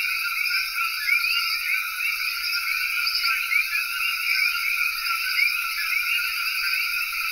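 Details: A dense night chorus of common coquis in Cayey, Puerto Rico, countless overlapping two-note chirps rising in pitch.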